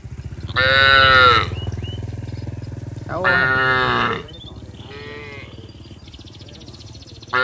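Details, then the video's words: Cattle walking down to the paddy fields in a village, calling their herd mates: two long, rich moos a couple of seconds apart, then a fainter call, over a steady low rumble. "Bunyi sapi memanggil teman teman"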